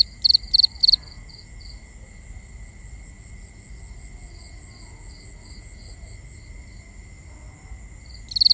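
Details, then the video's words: Night crickets, binaural: three sharp pulsed chirps open, then a long stretch of softer distant chirping and steady high insect drone, before a loud chirp returns at the end. "Cricket Conversations | Binaural Nighttime Ambience"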